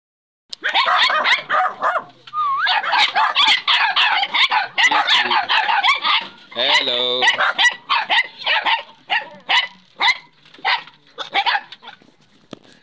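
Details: Japanese Spitz puppies yap in a rapid, overlapping chorus of high, sharp yips and little barks, with a brief whine, thinning to spaced single yips toward the end.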